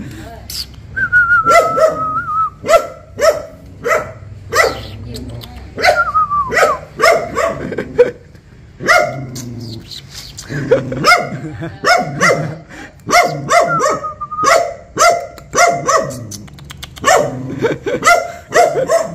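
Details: Barking dog reacting on seeing a stranger, giving steady sharp barks roughly every half second with brief pauses, beneath a whistled tune and background music.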